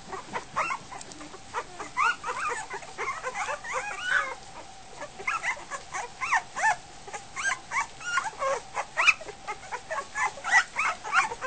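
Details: Goldendoodle puppies just over a week old at feeding time, many of them in a chaotic feeding frenzy: a dense chorus of high squeaky whimpers and yips overlapping continuously, with soft background noise.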